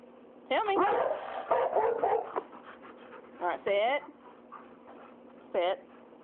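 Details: Two pet dogs, Ada the boxer and Daisy the rottweiler, being vocal about dinner: loud wavering whining barks with rising and falling pitch, a burst near the start and two more later, over a steady hum and a person speaking.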